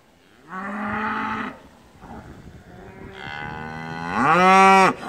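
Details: Limousin cows in the Hunzedal, used for grazing management, during their winter move from the polder to a deep-litter barn as the stream-valley water rises; two long, deep, harmonic moos, the second louder and rising slightly at its start.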